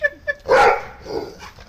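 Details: Playing tug of war alongside a Golden Retriever, a Pit Bull pair (one a puppy) gives two short high yips, then one loud full bark; a person's voice overlaps, with soft shuffling afterward.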